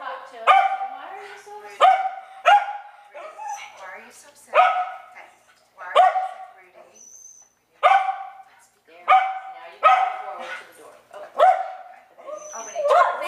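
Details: Dog barking anxiously in response to a doorbell cue: a series of sharp, harmonic barks spaced roughly one to one and a half seconds apart, with people talking quietly between the barks.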